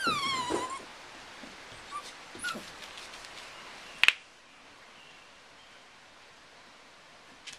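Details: Nine-week-old Welsh Terrier puppy on a lead, excited, gives one short high whine that slides downward with bright overtones, followed by faint scuffs, a sharp click, then near silence.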